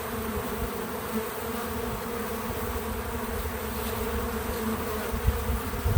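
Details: Bees visiting a feeder, untouched natural sound: an even, low background hum of wings holding steady for several seconds, with a few soft bumps near the end.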